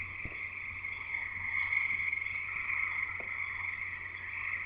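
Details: Many frogs calling together near a house in Escanaba, Michigan, Upper Peninsula, forming an unbroken high trilling chorus that swells slightly midway, with a couple of faint clicks and a low background hum.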